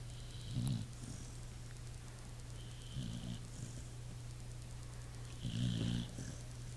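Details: Pit bull asleep and snoring, with three deep gravelly snorts spaced about two and a half seconds apart and a constant low hum between them.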